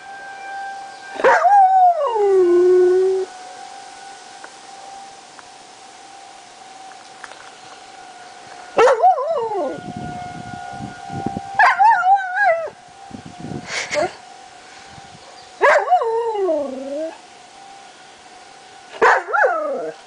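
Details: Lazarus, a pet dog, howling at monthly tornado sirens on July 1, 2009: repeated wavering howls that rise and slide downward, several separate bouts over twenty seconds, with a steady siren tone droning underneath throughout.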